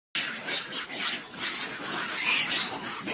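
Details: A monkey troop, mistaking a pheasant for an eagle, erupts in harsh, overlapping screeching alarm calls that continue without pause for the whole three seconds.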